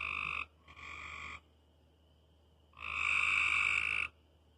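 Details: Frogs at night giving harsh buzzy croaks in bursts, two shorter ones close together, a pause, then a longer loud croak over a faint steady high background tone.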